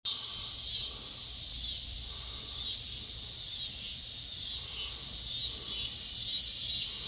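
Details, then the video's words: Cicadas singing in a backyard with kittens nearby: a dense, continuous high buzzing chorus with pulsing swells roughly once a second, steady throughout. "Cicadas singing to the kittens in backyard"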